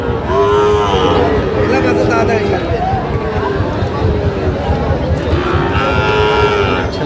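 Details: At a Bangladeshi cattle market in Narsingdi, 28 July 2025, Sahiwal cattle low in long, drawn moos while traders discuss pairs of Sahiwal calves and prices amid a constant murmur of voices.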